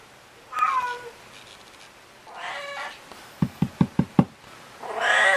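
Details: Pet cat indoors meows several times, short descending cries, with a run of five sharp knocks in the middle and a louder, drawn-out meow at the end.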